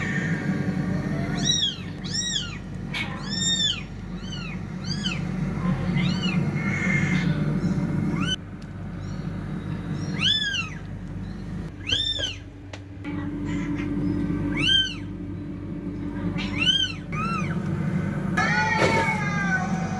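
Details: Cats fighting: a rapid series of short arched meows with rich harmonics, many close together, over a steady low hum, with a brief burst of noise near the end.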